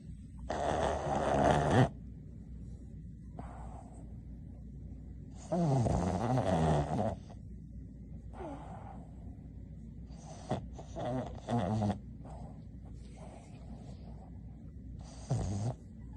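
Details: A napping female Boston Terrier snores in rough, rasping, rattling breaths every few seconds. Some are long and vibrating, others short and snorting, with quieter wheezy sounds between.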